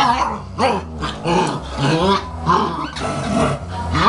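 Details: German Shepherd puppy fighting with its mother in 2012, snarling growls mixed with whiny yelps and rising squeals in quick bursts, roughly one and a half per second, over a constant low background hum.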